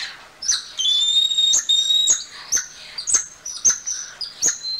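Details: Golden lion tamarin giving long, high, steady whistles with faint overtones, mixed with short chirps, while sharp clicks or knocks sound about twice a second.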